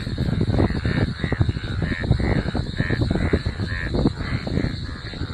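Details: After rain, golden frogs call together in a thick, low, grunting chorus with many overlapping croaks, some pulsing roughly twice a second.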